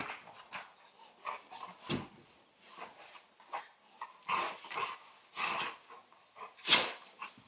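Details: Central Asian Shepherd Dog playing, giving irregular short gruff barks and huffs, broad and rough, in uneven bursts about every second, with one louder bark near the end.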